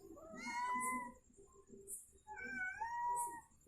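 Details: Domestic cat that has suddenly given birth to kittens: two long, drawn-out meows, the first steady and the second slightly wavering, with faint soft background music.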